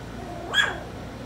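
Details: Four-week-old puppy from Skittles' lively litter giving one short, high yip that rises and falls quickly, with a faint room background.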